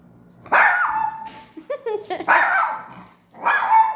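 A toy poodle gives high, sharp barks, with a few yappy notes in between.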